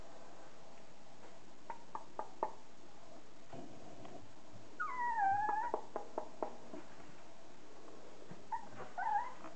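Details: Border Collie puppies, thirty days old, offspring of Kim and Andy: a clear, wavering double whine rises then falls around the fifth second, followed by scattered clicks and a shorter whimpering whine near the close, indoors.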